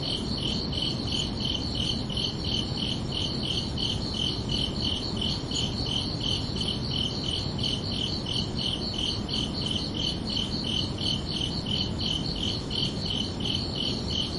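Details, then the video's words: Under a night sky in summer, crickets chirp in a fast, regular train of high pulses, close to three each second, paired with a quieter upper harmonic, backed by steady low background noise. "Calming Cricket Sounds for Relaxation"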